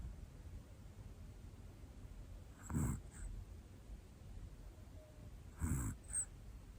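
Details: Hana, a one-year-old black female Pomeranian, snores softly while asleep indoors: low, breathy rasps about every three seconds over a quiet hiss, each with a faint snuffle after it.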